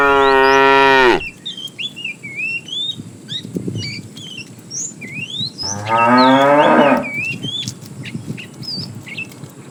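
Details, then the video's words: Morning herd of tame cattle wandering in search of food; two loud, harmonic moos about five seconds apart, each fading downward, with quieter shuffling and many chirping birds between them. "Funny cow sounds"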